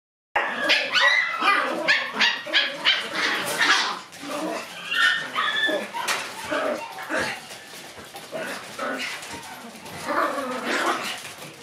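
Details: Several Shiba Inu puppies running around in a room in the morning sun, lively at the start of the day; dense overlapping yaps, whines and scuffling with bursts of activity, some human voice in the background.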